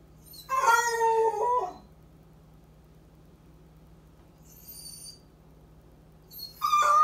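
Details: Home-alone male Basset Hound letting out one quavering howl lasting over a second, followed by a long quiet gap, a faint distant whine, then the start of another loud howl; low steady hum throughout.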